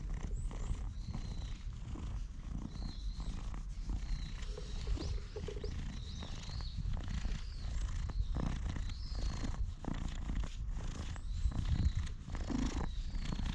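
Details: Low continuous purring from a stray cat enjoying being petted before later turning to attack, recorded with a GoPro HERO8. Rough rustles of fur and hands sound over the rumble, with faint high chirps in the background.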